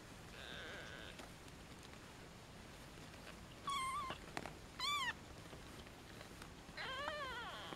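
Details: European shorthair kittens of a first litter born July 11, 2013, 1.5 days old, filmed after weighing while their mother eats: three loud, high, thin mews near the middle and end, the last one wavering, over quiet background hiss.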